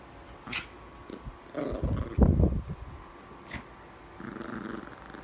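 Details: Playing tug-of-war with her soft green elephant toy, Bean the female mini pinscher gives a deep rumbling growl that swells for about a second, then fades, with faint indoor noises around it.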